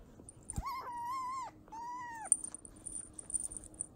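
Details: Fennec fox kit about two months old, clingy and seeking affection, gives two clear, tonal whining calls, the first longer and slightly wavering, the second shorter and arching, followed by light clicks and rustling.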